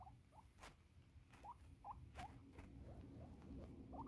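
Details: Pet female guinea pig squeaking while being petted indoors, needing to pee; short rising squeaks repeated irregularly, roughly two or three per second, over a low background rumble.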